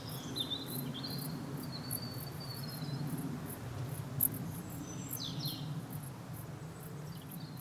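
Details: Dark bush cricket producing a scatter of quick, high ticking chirps, while birds add thin wavering whistles and a low rumbling noise runs underneath.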